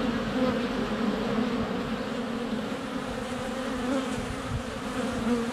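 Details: Honey bees in flight at a hive entrance on a sunny February day, filmed on a GoPro Hero 7 Black less than a foot away. A dense, steady droning hum of many wingbeats, with a low-pitched band and overtones throughout.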